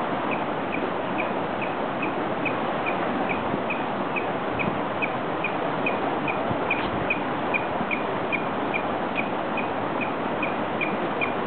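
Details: Vocal beaver by the river walk in Estes Park, Colorado: a long, steady series of brief high chirps, roughly two or three per second, set against constant roaring river noise.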